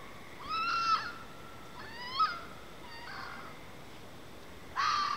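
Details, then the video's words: Fox calling outside, likely during mating: a series of four rasping, wavering screams about two seconds apart, each harsh and rising slightly before breaking off, the last one loud and abrupt. "Weird animal noises from outside.. (Update: it's a fox)"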